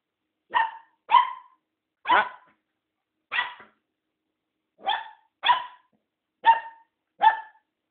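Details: Tom, a newly adopted mixed-breed dog, barks indoors: eight short, sharp, high-pitched barks, some in quick pairs, spaced irregularly over several seconds with clean pauses between them.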